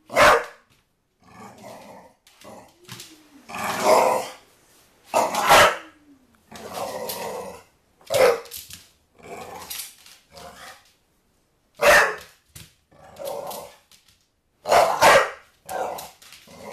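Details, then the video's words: Pet dog chasing a soccer ball and barking at it indoors; a string of sharp barks spaced irregularly across the clip, with short growly sounds between them and a quiet human voice at one point. "Chasing Soccer Ball and barking"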